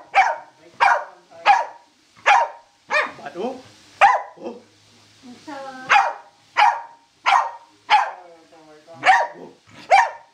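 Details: Excited Corgi at play with a laser, barking in a fast, steady series of sharp, loud barks about every two-thirds of a second, with a brief whiny, moaning vocalization midway through.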